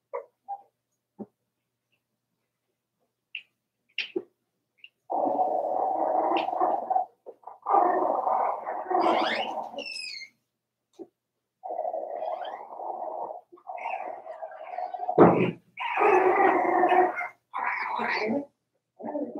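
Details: Daisy's Cavalier King Charles Spaniel puppies, four weeks old, in an indoor pen, giving long sustained whining cries lasting a second or two each, several overlapping, with rising squeaks and short yips between them.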